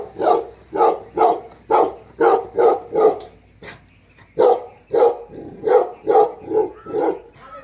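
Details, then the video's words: Tibetan Mastiff, called Bhote Kukur, a herding dog guarding home and farm in Nepal while the owner is away; deep booming barks in quick runs of three to four, a pause near four seconds, then more barking. "घर र फार्ममा मालिक नहुदाको रक्षक || गोठालो भोटे कुकुर"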